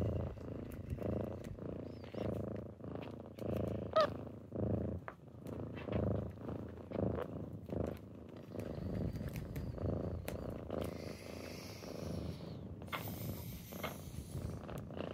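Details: Morning purring of kittens waking someone up, a steady low throaty rumble pulsing about once a second, with soft rustling and light scratchy noises toward the end.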